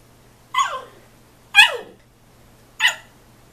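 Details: Husky puppy yelling at his father during play-fighting indoors: three sharp, high yelps, each dropping steeply in pitch, about a second apart, with a faint steady hum behind.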